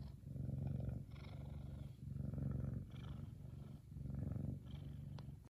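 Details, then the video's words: Kumba the F2 Savannah cat, a male, purrs contentedly and loudly: a deep, vibrating drone with four long breath swells separated by brief quiet gaps. "Big Cat Kumba Is One Happy Purring Boy!"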